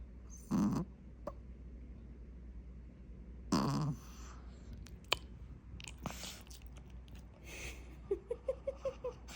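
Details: Heavy snoring from a Maltese dog taking a nap, described as a manly boy: two loud grating snorts three seconds apart over a low hum, then soft clicks and a quick series of five short squeaky notes at the close.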